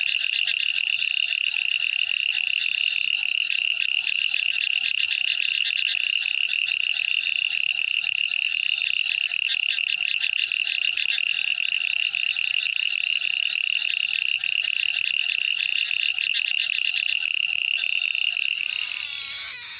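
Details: Frogs calling at night: a dense, unbroken chorus of fast, high-pitched pulsed trills holding one steady shrill pitch with buzzy overtones, keeping the same loudness throughout and ending in a brief clatter.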